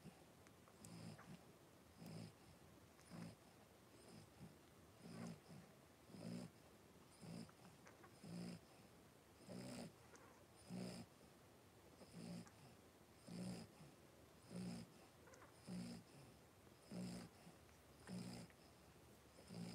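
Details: Three-week-old blenheim Cavalier King Charles Spaniel puppies, a litter of five born at New Year in an indoor puppy pen: low, rough snoring breaths repeat about once a second, steady and rhythmic, with faint room hiss.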